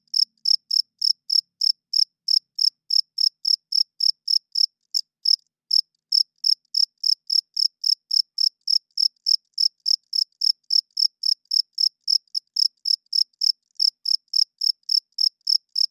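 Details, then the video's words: Loud nocturnal cricket chirping, a long train of rapid high pulses near three or four per second, with a brief skip around the fifth second and another near the twelfth. "Cricket Chirping Sounds - Cricket klinkt 's nachts luid"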